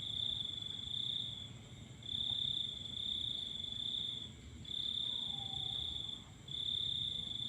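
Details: Crickets calling at night under a full moon: a continuous high, shrill trill in long bursts of one to two seconds separated by brief dips, with a fainter steady high whine behind it and low background rumble.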